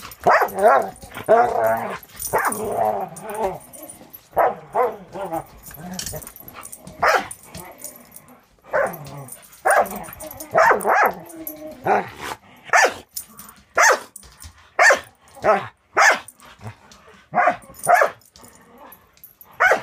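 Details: A 6-month-old Border Collie mix in foster care with a Wisconsin rescue playing with another dog; short sharp barks and yips come in quick bursts, some run together, others spaced apart, with scuffling between them.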